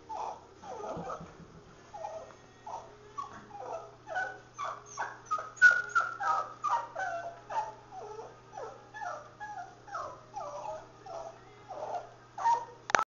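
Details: Pomeranian whimpering while being groomed and scissored into a mohawk cut; a steady run of short, high whining yelps, several each second for the whole stretch, over a low constant hum.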